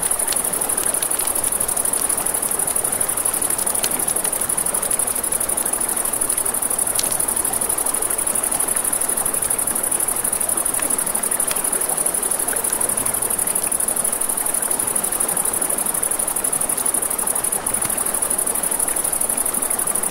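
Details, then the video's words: By a river after dark, crickets keep up a shrill, rapidly pulsed chirping with no breaks, over a broad hiss of flowing water and frequent small snaps from a crackling campfire. "Crackling Fire, Crickets, Ambient Nature Sounds"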